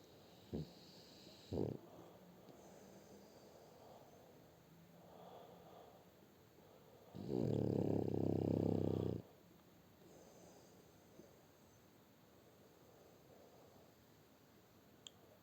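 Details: French Bulldog named Shturm snoring: one long harsh rasping snore of about two seconds, a few short snorts before it, quiet breathing between, indoors.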